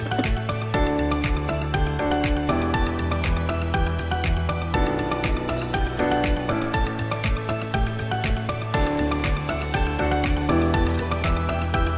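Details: Loud, steady background music with a regular beat fills the whole stretch, and no animal sound is heard.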